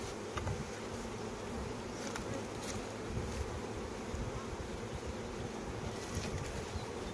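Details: A continuous swarm drone from honey bees kept on a Khmer honey farm in flowering season. The hum stays even and thick for several seconds, with occasional sharp clicks and handling noises.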